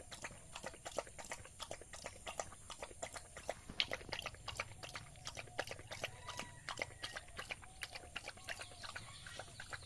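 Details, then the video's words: Village dog eating rice: quick run of soft smacking, clicking chews and laps, roughly three per second and unevenly spaced, over a steady low hum and faint high background whine. "Village dog eating rice | dog eating sound effect | dog eating food"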